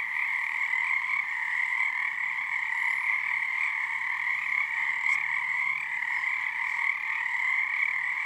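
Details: Frog chorus at Frog Korner on Harstine Island, Washington, under the first full moon of the season as numbers build nightly; a dense, steady trilling drone of many frogs, unbroken throughout, with a faint low hum beneath.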